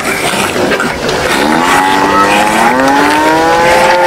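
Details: Farm cows competing for food; one long moo starts low, climbs steadily and holds a sustained, rising tone to the end, against a background of murmuring noise.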